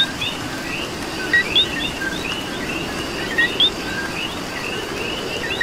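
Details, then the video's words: Coqui frogs calling in the rain in Puerto Rico: a loud two-note co-qui, a short lower note followed by a rising higher whistle, heard twice, over a dense chorus of other coquis and steady rain hiss. "Coqui and Rain"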